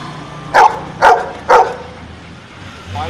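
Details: After being asked five minus two, a dog answers with three crisp barks about half a second apart, then falls quiet over a low background hum.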